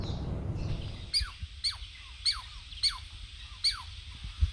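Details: Douglas squirrel, a wild forest animal visiting a sanctuary, giving loud alarm calls that warn others of an intruder or predator: sharp, downward-sweeping chirps repeated about every half second after a noisy rustling start.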